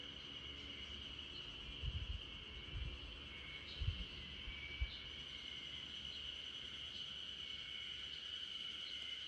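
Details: Spring cicadas droning together in a backyard while a Great Pyrenees dog named RunRun dozes: an even high-pitched hum throughout, with several dull low knocks in the first half.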